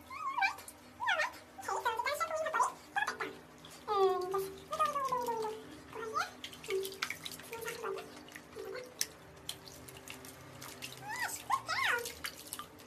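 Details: Several domestic guinea pigs, described as greedy, squeal in quick, squeaky bursts. Each note slides down in pitch, and the overlapping calls come in uneven clusters over a low background hum.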